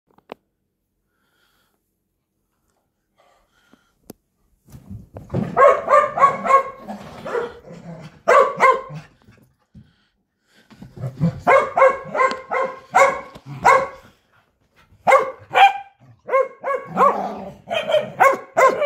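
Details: Corgi playing fetch, quiet at first, then bursts of rapid, loud barks in quick runs with brief gaps, some growly undertones, in an indoor setting.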